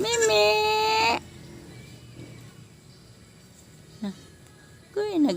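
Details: A goat at evening feeding time lets out one loud, long, wavering bleat at the start, then near-quiet, with a brief short cry and a rising bleat closing.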